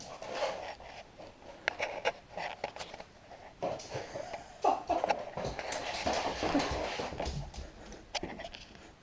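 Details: Cooper, a pet Border Terrier, plays indoors with an empty milk bottle and has his head stuck in it. His breathing comes as rapid, irregular snuffles and pants, with sharp clicks and knocks from the plastic in a small room.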